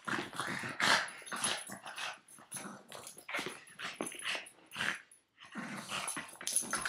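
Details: Playful nine-year-old Boston Terrier clinging to its owner's foot, producing continuous raspy growls and snorting grunts in rapid pulses, briefly pausing near the five-second mark before resuming.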